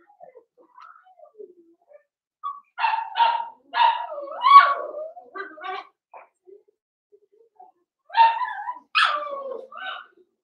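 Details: Young Blenheim Cavalier King Charles Spaniel puppies in an indoor pen: soft whines, then clusters of quick high yapping barks with squeaky yelps, a quiet gap, and two final strained yelping barks.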